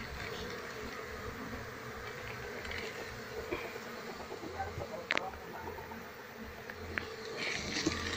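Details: Wild colony of Asian honey bees, Apis cerana, disturbed while being moved into a hive box as the queen is sought; a dense, steady droning hum with scattered sharp knocks and brief rustles.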